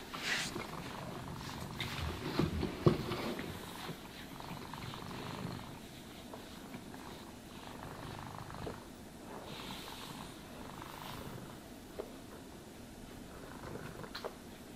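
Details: Domestic cat purring while being brushed and groomed indoors; low, rumbling pulsed purr runs throughout, with soft brushing strokes and occasional handling noises rising above it.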